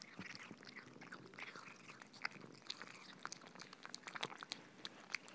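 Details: Cats eating soft food, close-up: crisp, wet chewing clicks and lip smacks come several per second at an uneven pace, with a few louder snaps among them and no other clear sounds.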